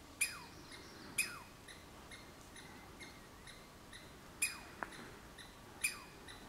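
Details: Douglas squirrel on the Olympic Peninsula giving sharp, piercing calls that slide steeply downward, four loud ones spaced unevenly over several seconds with fainter echoing notes between, in a quiet outdoor setting.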